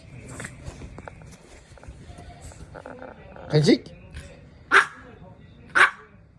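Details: Maltese puppy demanding treats: a person repeatedly asks a question in Korean, then the dog gives three sharp, high barks about a second apart near the end.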